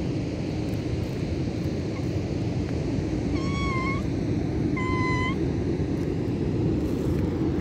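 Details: A tortoiseshell cat found on a beach mews twice, short slightly wavering meows about a second apart, against a heavy steady roar of wind or waves.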